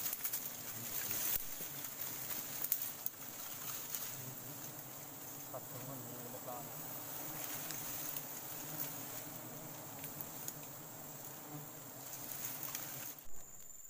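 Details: Wild forest honey bees during a sustainable honey harvest: a steady low droning hum of many wings runs throughout, with faint voices and a thin high hiss above.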